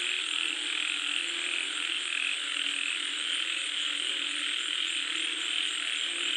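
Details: Frogs croaking while it rains, a dense mass of calls with uneven croaks roughly every second, a persistent high buzzing trill and steady hiss beneath.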